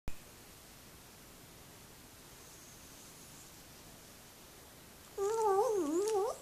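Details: Jack Russell Terrier singing a request to get on a lap indoors; after quiet, a wavering whined note slides up and down for about a second, with harmonics, in a small room.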